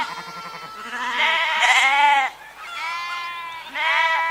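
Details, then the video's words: Sheep calling with rich, quavering bleats; a trembling baa is followed by two louder, longer bleats separated by a brief pause, with lower voices faintly underneath. "Ovelhas - Som da Ovelha - Ovelha Berrando"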